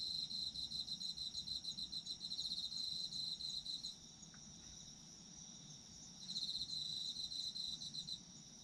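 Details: Autumn insects, meant for sleep, deliver a fast high pulsing trill for about four seconds, fall quiet to a thin steady ringing, then resume the pulsed trill near the end over a soft low hum.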